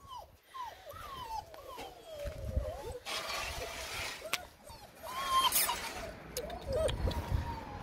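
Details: Six-week-old white Alaskan Malamute puppies of one litter whimper and whine in short, arching high notes, several voices overlapping.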